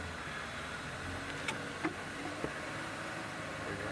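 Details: A vehicle engine idles steadily throughout, with a few faint clicks and taps and no animal voices.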